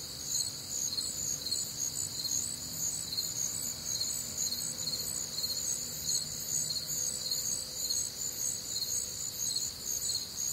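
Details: Warm, humid summer night in the Midwest filled with cricket song: continuous high-pitched pulsing trills in several layers, rhythmic bursts about two per second, and a faint lower insect tone drifting underneath.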